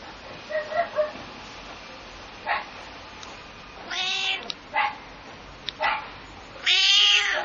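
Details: A pet cat, a little angry, meows back at a dog barking nearby. Faint low yelps open the recording, then come scattered short cries and a strong, drawn-out harsh meow at the end.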